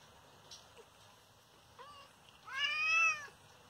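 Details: Hurt father cat, injured by someone hitting him, stays mostly quiet with faint background rustle, then gives one clear, mournful meow near the end that swells and fades.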